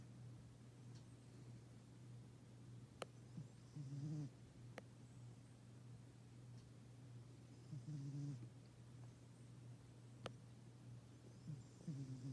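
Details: A black Bombay cat named Bandit snoring loud while asleep: low rasping snores roughly every four seconds, over a constant low hum with a few sharp clicks.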